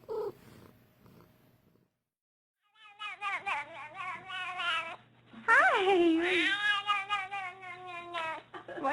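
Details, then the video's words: Domestic cat giving a series of drawn-out, wavering meows after a brief silence, rising and falling in pitch, the later calls louder and more strained, with a woman's voice speaking to it earlier. "Even Cats Can Talk"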